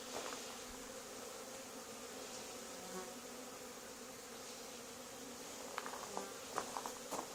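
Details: Honey bee swarm settled on the wall of an old barn, being removed two days after another hive was cut out there; a steady low droning hum runs throughout, with scattered faint clicks and crackles near the end.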